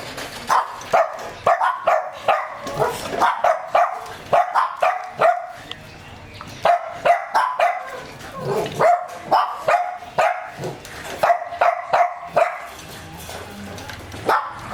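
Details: Working-line German Shepherd fed a raw-food diet, barking in long rapid runs: sharp, mid-pitched barks, roughly two or three per second, grouped in bursts separated by short pauses, with no other sounds standing out.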